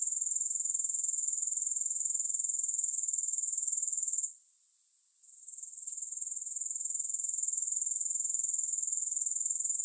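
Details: High, hissing grasshopper chorus without music, fast pulsed buzzing at an even rate that briefly cuts out and softens near the middle before building back to its steady level.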